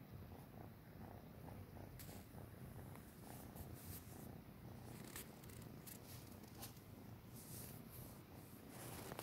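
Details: Hungry tabby kitten with a Siamese cat giving milk: a continuous low, throbbing purr with faint scattered clicks and rustles over the top.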